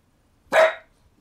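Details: A 15-year-7-month-old pug, which often makes this sound, gives one short, sharp yelp demanding to go outside although it is raining, on 28 April 2013; a 1-year-old Cavapoo is also present.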